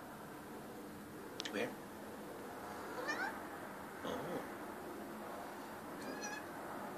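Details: Pet cat indoors giving a birdie alert on seeing a bird: several brief, faint chirping meows spaced about a second apart over steady room hiss, with a person speaking quietly.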